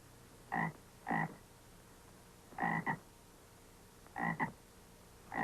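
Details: Bullfrog calls played from an audio tape as a sound for listeners to identify: short, low, throaty croaks in close pairs, about five pairs over several seconds, with faint steady hiss behind.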